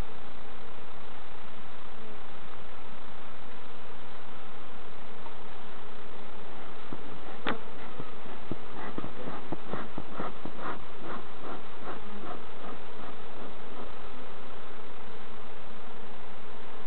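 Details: Honey bees at hives on an allotment and community garden during a hive inspection by novice beekeepers: a dense, unbroken humming drone throughout, with a run of rapid clicks and taps in the middle and faint human voices.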